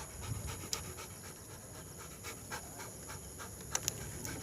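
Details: Tojo, a Labrador Retriever out on night work, pants quickly and steadily: soft, breathy rasps repeating about four times per second over a low, constant background hum, with a couple of faint sharp clicks.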